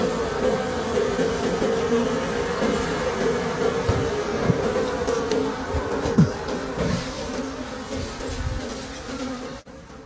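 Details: Wild bees drone steadily around a long, old forest hive during a late-season honey harvest. Irregular clacks are heard from the digging, and the hum falls away abruptly at the end.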